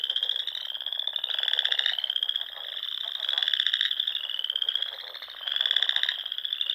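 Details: Frogs singing in spring at dusk on a pond in Nebraska's Sandhills: a steady high trilling chorus swelling in pulsed bursts about every two seconds, with buzzy lower pulses under them.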